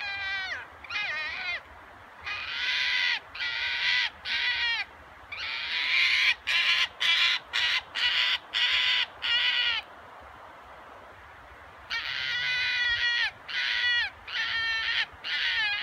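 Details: A red fox at a fox pasture in Kitami, Hokkaido, Japan gives a rarely heard roar: hoarse, crow-like barking calls in quick bursts broken by short silent pauses.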